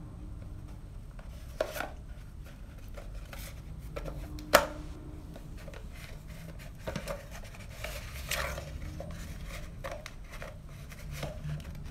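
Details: Quiet indoor rustling and scraping with a few sharp knocks, and no animal call.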